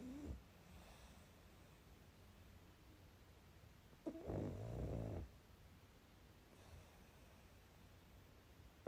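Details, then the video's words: Sleeping pug snoring indoors: one rough, broad snore of about a second midway through, with faint soft breathing sounds before and after in a quiet room. "Мопс и сон😴Храп"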